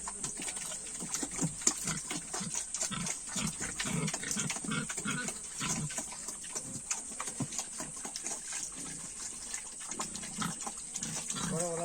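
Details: Domestic pigs (Sus scrofa domesticus) on a farm at feeding time grunt in short, repeated low bursts over a steady hiss, likely with water running nearby.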